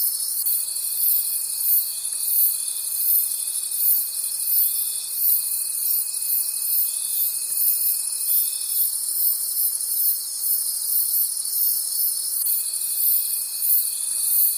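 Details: Night-time cricket chorus in the forest, a bright high trilling that throbs about three times a second, joined for long stretches by a steady piercing tone that cuts out and returns.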